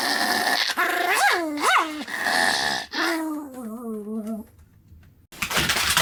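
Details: Sam, a pet Pomeranian, in a session of repeated vocalizing: rising and falling whiny growls with tonal harmonics, a few sharp swoops, then a drawn-out wavering growl before a short pause and a burst of noise.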